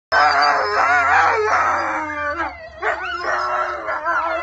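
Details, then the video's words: Wolfdogs howling together with a wolf: several overlapping wavering voices form a dense chorus, with rising and falling tones sliding past one another for the whole stretch. "Wolfdogs howling with wolf"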